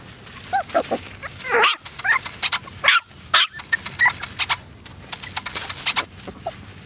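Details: AKC Poodles give short sharp barks mixed with thin whining yips, scattered irregularly over several seconds, with small clicks and low room noise between calls.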